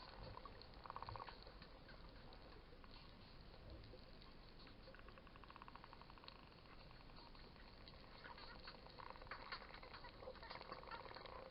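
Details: Underwater at Coraya bay near Marsa Alam, Egypt, wild dolphins that came into the bay give rapid buzzing pulse trains and creaky, duck-like squawks in several runs, heard through constant bubbling water noise during a snorkel.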